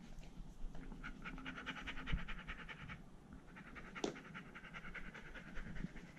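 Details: Poodles Iruma and Dory together in the house, leashed Dory out of the fence; quick rhythmic panting in short bursts, with a sharp click midway.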